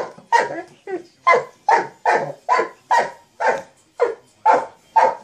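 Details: Loud, deep single barks from a Mastiff toying with a sock monkey jack-in-the-box come a little over two per second, eleven barks in five seconds, each clipped and forceful.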